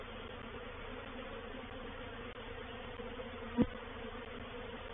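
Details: Reproductive swarm of honey bees moving into a bait hive (swarm trap) at Painted Peacock Manor, 04/07/21: a steady, low, droning hum with a stronger underlying tone, broken by a single sharp click near the end.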